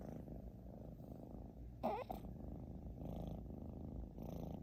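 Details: British Shorthair cat named Xiaoguai snoring loudly indoors: a steady low rumbling breath sound, with a brief louder scratchy noise near the middle.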